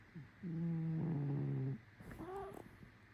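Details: Cat snoring: a steady, low, droning harmonic tone lasting over a second, followed by a brief rising and falling whine-like sound, then quiet room noise.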